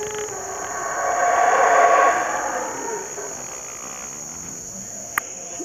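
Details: Howler monkey roaring at Palenque, Mexico, heard as a single rough, rising swell that peaks near two seconds and then dies away. A constant shrill insect hum continues throughout, with a sharp click near the end.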